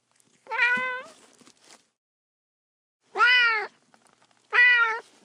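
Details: Kittens playing with pine cones on grass outdoors: three clear, harmonic-rich meows, the first long and level, the next two shorter and arched, separated by silent gaps.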